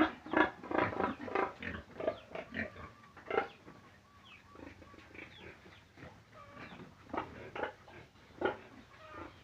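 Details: Pig vocalising in quick bursts: loud clustered grunts and squeals at the start, a softer stretch with faint murmuring calls, then a few louder squeals near the end.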